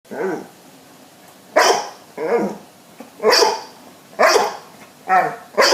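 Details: Two pet dogs, Babette and Luke, as Babette rejects Luke's advances and a sneeze-off follows: short harmonic barks alternate with sharp, hissy sneeze bursts, about one sound every second, indoors with quiet background.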